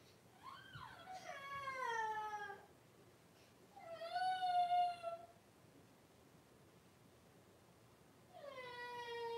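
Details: Blenheim Cavalier King Charles Spaniel puppies, a litter of five born at New Year to Paris and Spike, in an indoor puppy pen with mother Paris, 26 January 2023. Three drawn-out, high, falling whines of about two seconds each, separated by quiet pauses.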